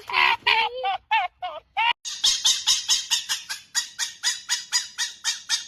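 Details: A fox's odd vocal display: a few warbling yelps, then a fast, harsh, rattling chatter of evenly spaced throaty pulses, roughly four per second, continuing steadily.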